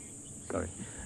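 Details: On an early-morning summer safari in the African bush, cicadas give a constant, high, even buzz, a typical summer African sound, with a brief low voice-like sound cutting in midway.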